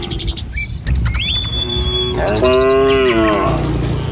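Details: Morning on a village road: tame cattle herded toward a field. Clear bird whistles and chirps come first, then one loud, steady moo lasting about a second, with shuffling sounds from the road.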